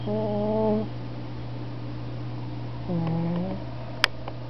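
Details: Cat snoring as it sleeps on a window sill: two low tonal wheezing snores about three seconds apart, a steady background hum, and a sharp click near the end.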